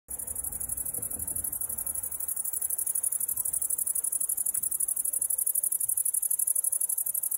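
A grasshopper sings a steady, very high, hissing buzz made of rapid, evenly pulsed chirps.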